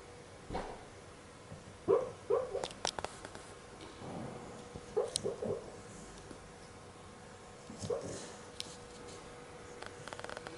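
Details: Dreaming in her sleep, Sophie the dog gives soft, muffled little yips and whimpers in scattered clusters, some doubled, over a faint background hum with occasional clicks and rustles indoors.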